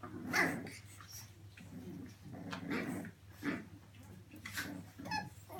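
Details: British Bulldog puppies giving short grunting growls and whimpers, irregular bursts roughly every second, one sharper yelp near the start, over a low indoor hum.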